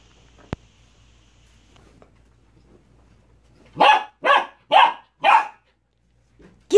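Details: Corgi puppy playing with a cow hoof, giving four short yappy barks in a quick run after a few quiet seconds, then one more bark at the end.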